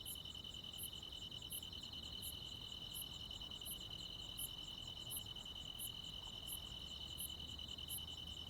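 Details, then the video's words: Crickets and other insects calling on a midsummer night in the countryside: a steady, shrill trill runs without pause beneath sharp, very high pulses that repeat about every 0.7 seconds, with faint low background rumble. "시골 야간 귀뚜라미, 벌레 소리"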